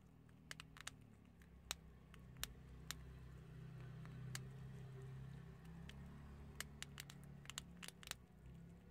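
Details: Chickpeas crunched by prairie dogs: bursts of quick crackling bites, clustered near the start and end, over a continuous low background drone.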